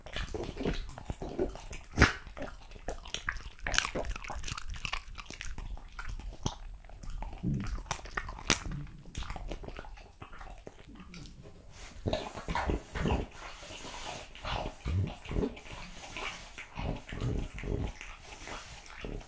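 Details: French Bulldog eating raw quail, lamb kidney, diced lamb and beef testicle indoors, with wet, crunchy biting and chewing in irregular bursts of sharp clicks and smacks, a few louder crunches spaced through the recording.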